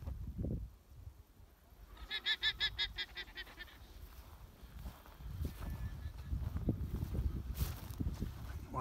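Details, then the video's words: A guanaco in Torres del Paine, Chilean Patagonia, gives a rapid, bleating alarm call of shrill stuttered pulses, warning that a puma is near. "Alarm Call of the Guanaco -- Tracking Pumas in Torres del Paine"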